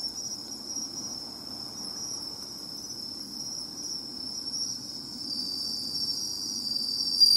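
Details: Bell cricket singing at the seaside, heard while searching for the insect by its sound; a steady high ringing band continues throughout, with fainter higher tones above and a soft low background hum.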